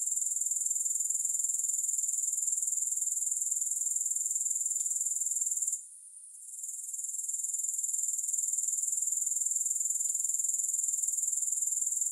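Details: High, thin, rapidly pulsing grasshopper trill running continuously, with one brief dip in loudness midway that quickly swells back to full strength; no music underneath.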